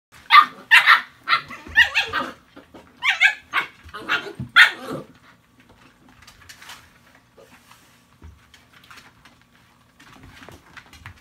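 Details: Chesapeake Bay Retriever puppies, 57 days old, playing together when an adult dog arrives and takes their toy; a burst of sharp, high yips and barks, then quieter scuffling and faint sounds.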